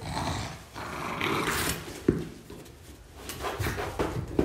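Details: French Bulldog growling as it takes the ball from its owner in a small room; low rumbling growls with snorting breaths, a sharp knock near the middle and rustling play noises.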